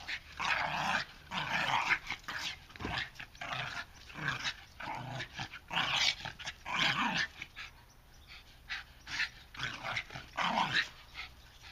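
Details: Bulldogs playing together indoors, one young dog learning rough play from the other; rasping growls and grumbling vocal bursts come in rapid clusters, with short gaps of quiet between the bouts.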